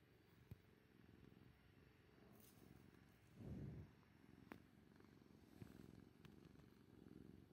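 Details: Kuri, an orange tabby cat, purring steadily in a low, even rumble, with a louder gurgling burst midway that may be a human stomach rumbling after a meal, plus a few soft clicks.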